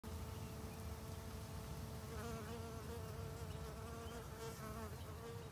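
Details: Teddy-bear bee, Amegilla bombiformis, in Brisbane, Australia: a steady droning buzz with a slightly wavering tone that runs through the whole recording over a low rumbling background.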